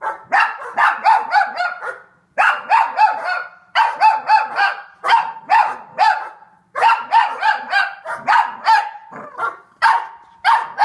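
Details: A Cavalier King Charles Spaniel barks at dogs on the TV in quick, yappy bursts of several barks at a time.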